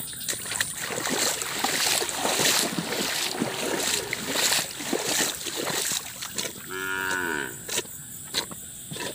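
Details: Cattle in a shed whose floor is still coated with mud left by a flood, even their feed muddy; one short, low, harmonic moo lasting about a second rises late amid steady scraping and wet shovelling noises and a high insect hiss.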